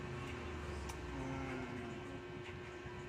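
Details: Steady low vehicle rumble fills the whole stretch, with faint background voices.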